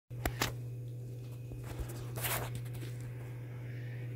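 A steady low hum fills a small room, broken by a few soft taps, rustles and a brief crunchy scrape.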